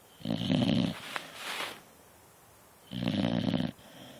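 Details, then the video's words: Beagle sleeping on the couch: two loud, raspy snores about two seconds apart, with a softer breathy exhale and a faint click between them. "Snoring Beagle"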